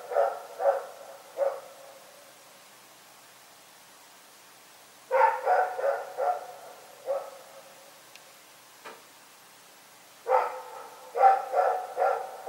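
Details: Barking at night by Rex the dog: three barks, a silent stretch, a run of five barks, a single faint one, then a final volley of loud rough barks.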